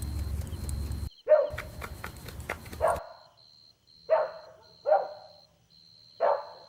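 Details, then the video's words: Golden Retriever puppies at play on green grass give short, sharp yappy barks, spaced about a second apart, after a burst of scuffling and thumping. A faint, steady high beeping runs throughout. "Adorable Golden Retriever Puppies Playing On Lush Green Grass – Cute Dog Video | Dog Sounds"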